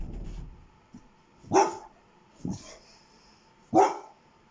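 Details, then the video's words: Pet dog giving three sharp barks, the middle one softer, after a low rumbling noise at the start, with a faint steady hum throughout. "why is Apple Barking?"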